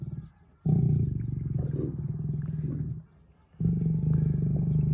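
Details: Lion from a pride including lioness Simona and males Sultan and Girey: loud, very low, pulsing roaring in two long bursts, each about two to three seconds, separated by a short quiet gap.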